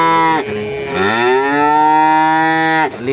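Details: Limousin calf at a livestock market in Ambarketawang, Sleman, in the morning: a short bleat-like moo, then a long sustained lowing call that rises slightly and holds steady for about two seconds before breaking off.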